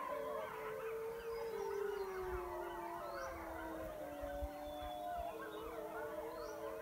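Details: Wolves in the mountains near a den with pups, called in by a person howling, give a chorus of drawn-out, gently descending howls. Several voices overlap at different pitches, and faint music plays underneath.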